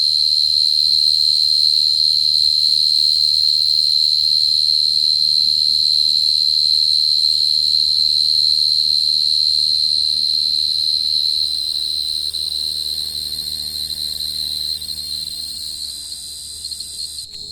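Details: Short-tailed cricket (dế cơm) song used as a lure: a high, steady, shrill trill pulsing about four times a second, holding unbroken for the whole stretch and slowly fading toward the end, with no other clear sounds.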